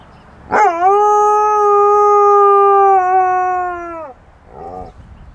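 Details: A male Alaskan Malamute howls like passing fire truck sirens, a long, steady howl that rises sharply, holds a level tone, then drops off; caught on tape by chance, as he rarely does this.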